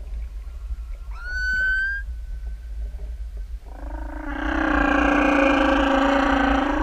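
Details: A humpback whale singing in open ocean off Tahiti, recorded from just above it: a short whistled note sweeping upward, then a loud, sustained, overtone-rich moan slowly wavering in pitch, over steady low water rumble.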